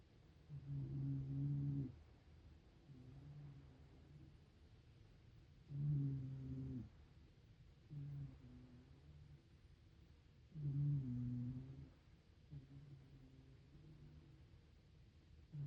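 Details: One-year-old Shiba Inu named Hime-chan snoring while asleep: deep, droning, humming snores with a loud drawn-out breath about every five seconds and softer, shorter snores in between, in a quiet room.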